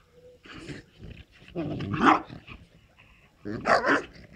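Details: Playing dogs, a Moscow watchdog x Amstaff mix with a French bulldog: three loud bouts of growly barking and grumbling about a second apart, with a brief human voice in between.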